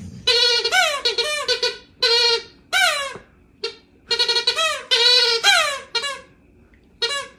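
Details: A dog gently asking for scratches with her little grinch toes gives a run of high, nasal whining yelps in quick bursts, some rising and falling, with short pauses between groups, indoors.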